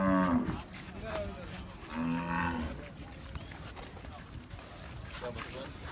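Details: Cholistani bull during Bakra Eid giving short, low moos: a brief one at the start and another about two seconds later, with background voices and general outdoor noise.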